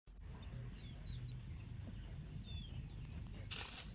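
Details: Cricket chirping steadily, shrill high-pitched pulses repeated about four times per second, with a brief rustle near the end.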